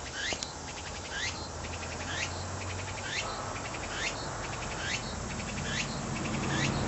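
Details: Tsukutsukuboshi cicada song: loud rising sweeps roughly every 0.8 seconds, each trailed by a string of fast clicking pulses, over a faint low hum.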